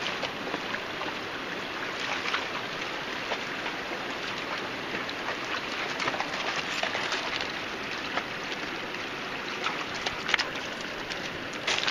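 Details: Steady rushing of a stream fills the recording, with water splashing and trickling throughout.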